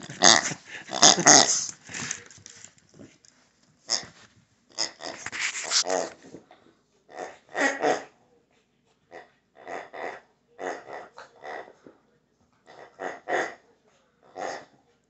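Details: Shih Tzu dog playing with a pig, its new favorite toy, indoors: rough, breathy growling and wheezy snorts in bursts, loud and dense at first, then shorter separate grunts about every second with quiet gaps between.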